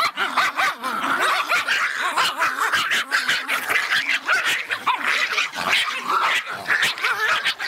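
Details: An agitated Miniature Pinscher barks in a rapid, high-pitched string of sharp yaps, several each second.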